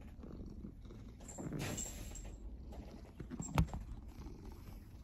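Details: Domestic cat purring: a steady low rumble with a brief rustle midway and a sharp click near the end.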